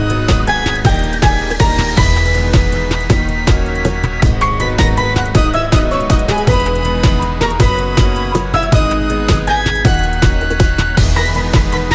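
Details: Steady instrumental background music plays throughout, with no animal voice standing out.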